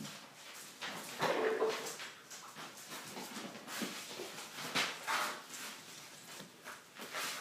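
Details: Three 10-week-old Weimaraner puppies from a litter of seven play, giving brief high whines and soft yips among scuffling, rustling noises.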